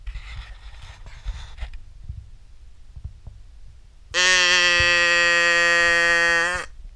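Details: Cattle from a herd going out to graze; after a few seconds of quiet rustling, one loud, steady, even-pitched moo lasting about two and a half seconds fills the end.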